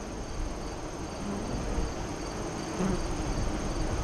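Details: Hive entrance hum from honey bees near Lyons, Nebraska, recorded during the August 2017 eclipse in the afternoon. A dense low buzz holds throughout, with short higher-pitched zips of individual bees flying by near the end.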